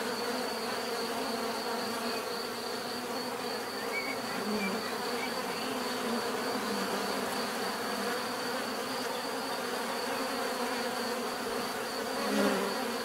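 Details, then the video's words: Bees heard in nature, their combined buzzing forming a constant dense hum; individual bees drift nearer at times, including a louder close pass near the end, over the even swarm background. "bees therapy relaxing natural buzzing sound"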